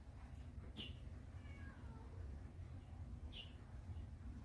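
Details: A frightened kitten in Taiwan, being protected by an adult cat, gives a thin, faint, falling mew. Short bright clicks or taps sound twice, and a steady low rumbling hum fills the background.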